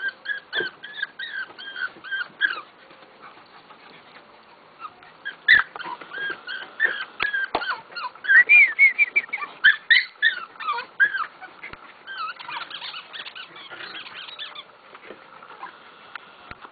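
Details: Honey, a pet bulldog, whimpers in high, nasal whines that bend up and down, coming in uneven bursts with short pauses. The run grows busiest and loudest midway, then fades to scattered soft whines, with a few faint clicks between.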